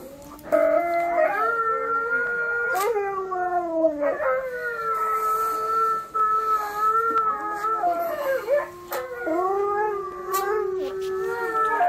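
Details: An Alaskan Malamute, a Siberian Husky and a malamute puppy howl in long, wavering tones that slide up and down, several voices overlapping as the dogs join each other's howling.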